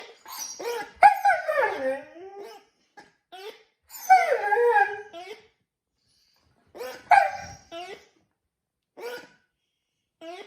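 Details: A Siberian Husky that rarely howls is set off by a dog toy. It gives bursts of wavering, yodel-like howls a few seconds long, sliding up and down in pitch, with shorter yips and squeaky whines in the pauses.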